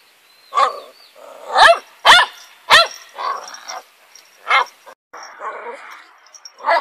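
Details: An 8-year-old female dog guarding around her house in Korea gives sharp, harsh barks in an irregular series, with softer muffled sounds between them.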